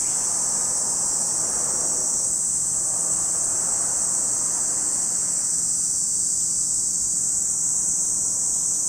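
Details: Cicadas at Lake Kamo in Sado City, Niigata Prefecture, Japan: a steady, unbroken high-pitched shrill drone that holds level throughout, over a faint low rumble.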